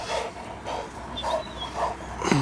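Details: Dogo Canario named Aron during mating, breathing in rhythmic, breathy bursts roughly every half second, each a short rasping puff with a soft whine at the end.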